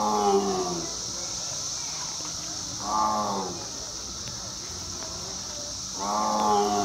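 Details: A tiger at Louisville Zoo in spring 2021 gives three deep, moaning roars, each about a second long with a sliding, layered tone, spaced roughly three seconds apart, over a steady high hiss; a person speaks briefly beforehand.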